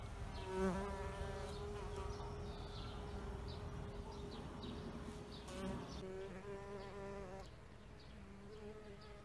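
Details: Bees buzzing around an insect hotel filmed in 4K: a steady droning hum with harmonic bands, several passing flights swelling and fading over a low background rumble.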